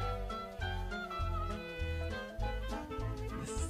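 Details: Upbeat instrumental music with reedy wind and brass-like melody over a steady bass beat, filling the whole stretch with no animal sounds.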